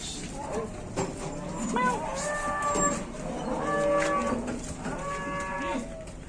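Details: Raging bulls fighting in Indonesia: drawn-out tonal bellows lasting one to two seconds each, rich in harmonics, three main calls in sequence over a murmur of people.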